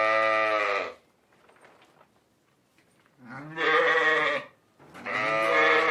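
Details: Lambs and sheep bleating: three loud, nasal, quavering baas lasting about a second each, with a faint softer murmur in the gaps between them.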